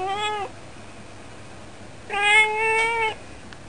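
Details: Domestic cat chatting at a window as it habitually does, on a cold day; two clear harmonic meows, a short half-second one, then a longer steady one lasting about a second.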